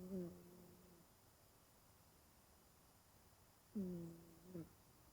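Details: Elderly 20-year-old cat Genki-kun, curled up in deep sleep, gives a drawn-out, low, tonal snore lasting about a second. After a pause of nearly three seconds, a second snore follows with a short squeak at its tail. The room is otherwise quiet.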